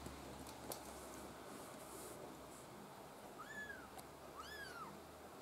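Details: A Maine Coon kitten from a litter of five black-white and blue-white kittens born 6 August 2015 gives two thin, high meows, each rising then falling, over a quiet room hiss.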